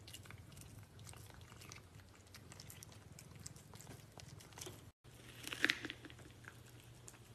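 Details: A cat eating food gives soft crunching and clicking bites above a low hum; a brief silent cut follows, then a louder sharp clatter.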